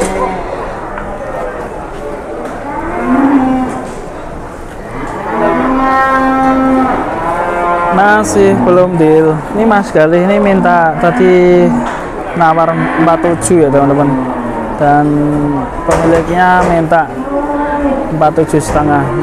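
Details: Loud, drawn-out moos from cattle at Pasar Jelok market in Boyolali, Indonesia; several animals call in quick succession, deep bellows with rising and falling pitch, over steady market background noise.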